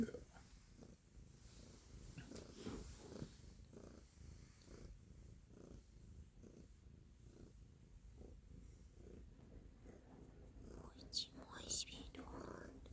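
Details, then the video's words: A domestic cat named Stella purring loudly, a rhythmic low rumble pulsing with each in and out breath over a long stretch, with a few faint clicks and rustles near the end. "Stella's purring loudly / Cтелла громко мурлычет"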